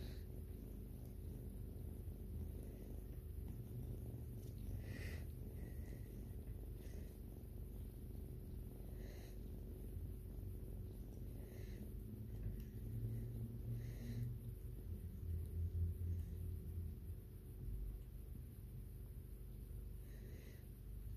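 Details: Continuous deep purring from a white kitten as it grooms its owner, the low drone swelling slightly in the middle, with faint soft ticking sounds above it.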